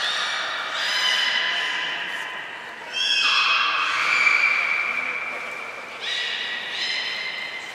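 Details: Beluga whales Hodoi, Taanya and Mirai at Port of Nagoya Public Aquarium, 23 February 2021, during a pool transfer and training session; long steady harmonic squeals held about a second or more, shifting pitch in steps, against a hollow indoor background.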